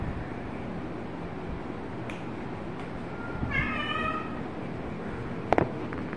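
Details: Kitten giving a single short meow with stacked harmonics, preceded by a brief faint mew, over steady low background rumble and a sharp click near the end.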